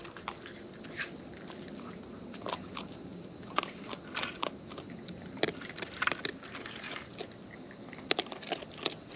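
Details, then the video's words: Raccoons in the wild eating near the microphone: rapid, uneven crackling bites and crunches, some louder snaps mid-clip, set against a quiet constant hiss. "Wild Raccoons & ASMR Chewing Sounds"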